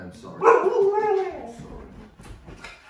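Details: During a costume prank at home, a husky lets out a loud, rising-then-falling harmonic yowl lasting about a second, followed by quieter shuffling noises.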